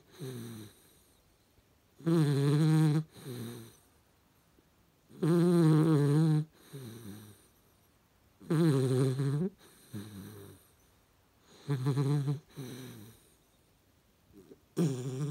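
A Vizsla puppy snores in deep, rumbling breaths, each loud inhale followed by a softer exhale.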